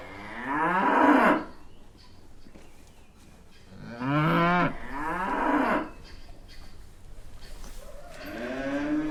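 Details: Brown cows in a green pasture with their calves moo in long, deep, rich lows, several calls spaced a few seconds apart.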